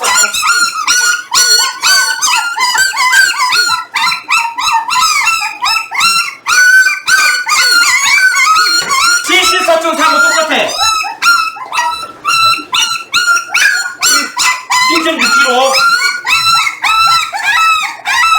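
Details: Jindo puppies at 18 days old, weighed together with their parent dogs: a long stretch of crowded, shrill, harmonic yelping and whimpering from several animals, rising and falling, with some speech mixed in.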